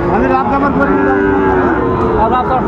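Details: Sahiwal bull calves at a crowded cattle market in Chattogram, Bangladesh, 24 October 2025, about seven months old: drawn-out, tonal moos with wavering, slightly falling pitch overlap one another, under steady crowd chatter and market noise.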